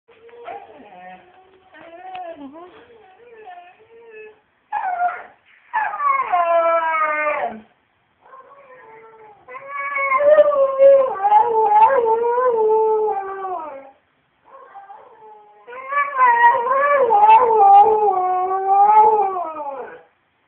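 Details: A dog described as a Husky/Alaskan Malamute howls in long, wavering, sliding tones broken by short yips and whines.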